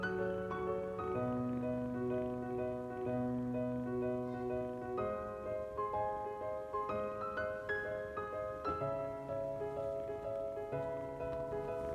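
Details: Mellow piano and mallet-instrument music plays with repeated chords, and no animal sounds.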